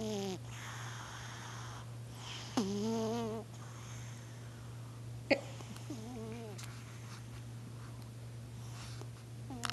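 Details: Hans Gruber the cat naps on a couch, snoring: short, droning, harmonic snores recur roughly every three seconds, with soft breathy rasps between them over a steady low electrical hum.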